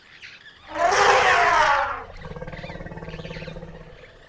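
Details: Elephant trumpeting, which signals excitement or stimulation. A loud, harsh, brassy blast lasts just over a second, then fades into a softer, low, steadily pulsing throb.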